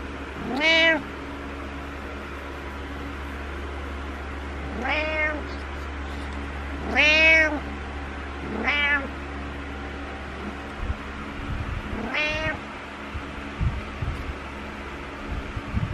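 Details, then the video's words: Domestic cat meowing needily in the morning: five drawn-out, arching meows spaced a few seconds apart, each rising then falling, with a steady low hum in the background. "Needy Morning Meows"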